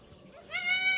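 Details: Bleat of a newborn goat kid, one of two young males getting vitamin and iron injections; a single loud, nasal, slightly quavering cry lasting about half a second after a quiet start.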